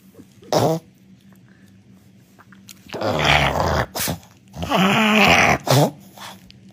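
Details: Pet dog Luna indoors, reluctant to be interviewed, gives rough, noisy growling bursts, the longest two lasting about a second each, between short sharp sounds and quiet gaps, with a woman speaking Russian nearby.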